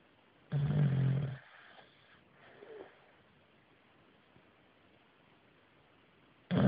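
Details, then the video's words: English Bulldog named Bruno snoring, the sound building from softer to louder; one short low rasping snore early on, then a long quiet stretch, with another snore beginning at the very end. "BULLDOG INGLES BRUNO RONCANDO"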